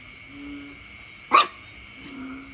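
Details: Puppy barking at its father: a single sharp, loud bark bursts out about midway, with quiet stretches before and after over a steady faint background hum.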